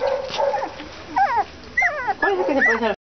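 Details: English Cocker Spaniel puppies around 30 days old; a low whine followed by bursts of high, wavering yelps and whimpers in short groups, with a human voice speaking Spanish in the background.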